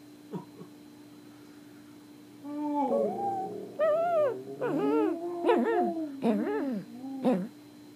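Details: Singing Pomeranian in India producing a run of wavering howls after a quiet start, notes swooping up and down in quick succession, roughly one each second, over a constant background hum.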